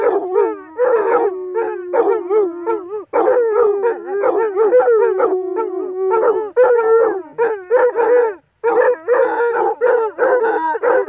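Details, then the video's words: Basset Hounds reunited a few days after their mother died, howling together: several drawn-out, wavering, musical howls overlap, some sliding up and down, others held steady, with short breaks between rounds. "Basset Hound Howling"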